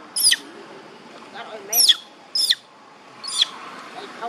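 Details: Baby monkey Bailee crying while her mother, Bertha, attacks her: four sharp, high, squealing cries in quick succession, each under half a second, separated by quieter gaps with soft background noise.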